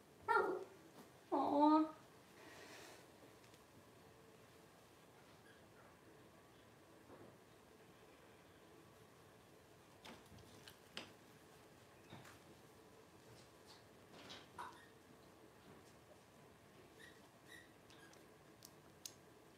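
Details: Twelve-day-old Blenheim Cavalier King Charles Spaniel puppies, a litter of five born to Paris and Spike at New Year's 2023, give two short, high, wavering squeals in quick succession near the start, followed by a quiet indoor room with faint scattered rustles.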